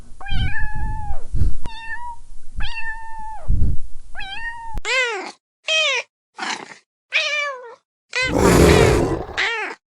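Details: Playing kittens giving a run of meows. Four steady, drawn-out meows come first, then shorter, higher cries that bend downward, separated by brief silences. The run ends in a loud burst of rough noise.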